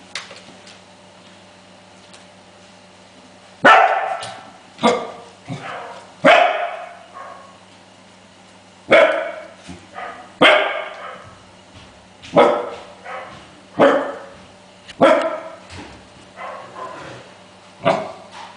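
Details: Five-week-old Welsh Corgi puppies, exploring their surroundings, playing and scuffling, give sharp, high yapping barks, singly and in quick pairs, with pauses of one to two seconds between bursts. A quiet room hum sits underneath.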